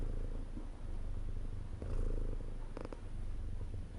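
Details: Close, steady purring from a domestic cat, a grainy low drone swelling gently in the middle, with a quick cluster of clicks near the end.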